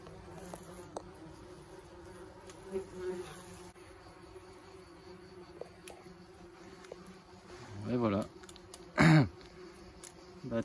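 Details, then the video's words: Buzzing of German wasps leaving a nest while it is treated with powder; a continuous low drone, then louder close passes of wasps flying near the microphone and brief bumps toward the end. "Nid de guêpes germaniques"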